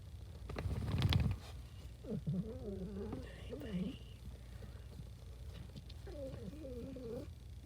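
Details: Happy pet cat indoors uttering wobbly chirping trills in two bursts, preceded by a loud low thump and a brief human voice, with a low continuous hum throughout.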